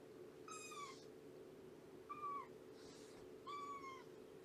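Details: Shelby, a roughly two-year-old female cat at Purrfect Pals, mews during a morning visit: three short high meows, the first and last longer and slightly falling, over a steady indoor hum.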